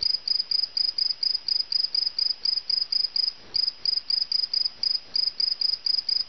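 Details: Captured cricket indoors producing shrill pulsed chirps, roughly four per second, even rhythm with one brief break midway.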